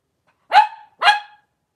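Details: At the Red Barn Cavaliers puppy pen, Cavalier King Charles Spaniel mother Paris and five blenheim puppies: after a brief silence, two abrupt barks come half a second apart, each bright and quickly fading, in a quiet room.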